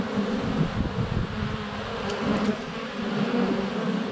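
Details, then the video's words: Swarm of honey bees flying at the hive entrance, recorded with a GoPro Hero 7 Black in February sunshine; loud, unbroken low buzz with fluctuating wingbeat tones and faint high taps. "4K Honey Bees - ambient video and audio"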